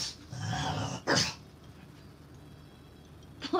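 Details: Cream-coloured male French Bulldog, five years old, barking so hard its front paws lift: a low rough grumble, then one sharp, loud bark burst, with quiet stretches and another short burst at the end.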